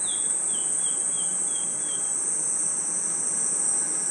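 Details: Crickets and other insects at night in a forest: a steady, unbroken high-pitched shrill drone, with a short series of descending whistled bird notes in the first two seconds.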